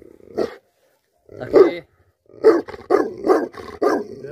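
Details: A livestock guardian dog in a cow shed gives deep, rough barks in short irregular bursts.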